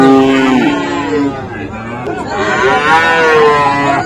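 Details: Friesian and crossbred bull calves at Raniganj cattle market, Dinajpur, Bangladesh, 7 November 2024: a drawn-out harmonic moo that sags slightly in pitch, then a second rising, wavering bellow, over a murmur of market noise.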